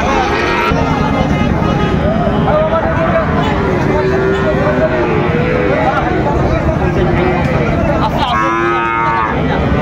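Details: Sahiwal bull calves for sale at the Raniganj cattle market, Dinajpur, on 6 June 2024. Several overlapping bellows come through a dense market din, ending in a clear, drawn-out moo near the close, with men haggling over prices.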